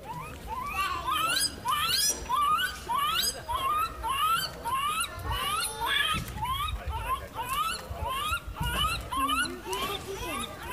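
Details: A 71-day-old lar gibbon gives a quick series of squeaky calls, each sweeping upward in pitch, recorded on 20 September 2016.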